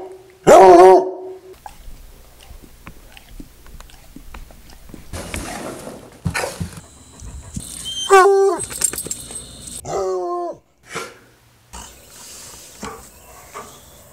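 A Treeing Walker Coonhound gives loud, wavering, howl-like cries in several separate bursts.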